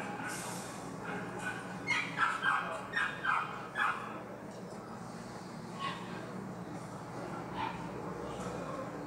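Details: Poodle at the Anseong dog show, giving a quick burst of sharp, mid-pitched barks around the middle of the clip, with softer yips and a steady hall murmur before and after.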